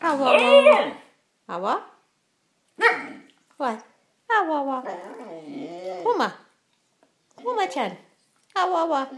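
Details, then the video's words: Talking Shikoku, a male dog, giving short chopped whines and grumbling yowls that swoop upward, several brief bursts spaced by pauses, then a longer warbling moan. "Shikoku talking"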